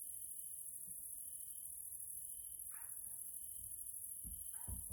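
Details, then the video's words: Evening chorus of grasshoppers (Caelifera) in a Hungarian nature area, Central Europe: a steady, piercing high hiss over the whole stretch, joined by intermittent lower buzzy trills, with a couple of short mid-pitched calls and low thumps near the end. "grasshoppers sounds in nature area Hungary Central Europe"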